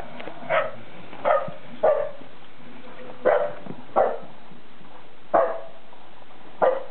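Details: Poodles Bella and Dougal play-fight in their first snowfall in York, UK, February 2012. About seven loud, clipped barks follow one another roughly every second, with uneven spacing and a faint breathy tail after each.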